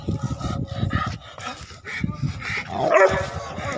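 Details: German Shepherd and Rottweiler fighting, with rough, low growling and a person talking nearby.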